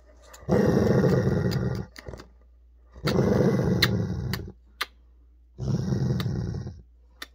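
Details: Male Weimaraner indoors, annoyed over his ball until he snapped, recorded 16 October 2022: three deep rough growls about a second long each, with short sharp clicks between them.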